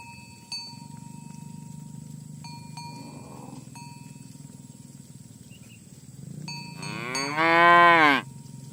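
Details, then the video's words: Cowbells ring in repeated metallic chimes while tame cattle are herded toward the pen in the morning on village roads; near the end one strong, rising and falling moo cuts in. "Suara Sapi Moo"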